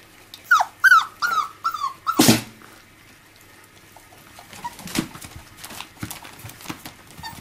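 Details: Five-week-old miniature labradoodle puppies playing with their mother give a burst of five falling yelps, a sharp clatter, then quieter scattered squeaks and rustling.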